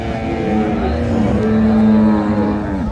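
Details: Dairy cow of an improved breed at the Ambari haat cattle market in Dinajpur on 9/3/25: a low, droning moo swelling through the middle of the clip, mixed with market chatter and background murmur.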